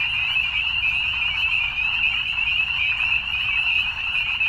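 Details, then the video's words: Evening chorus of many frogs, a bright, high, rapidly pulsing trill sustained without break, slightly rising and falling in strength, with faint low-frequency background noise. "Evening Frogs"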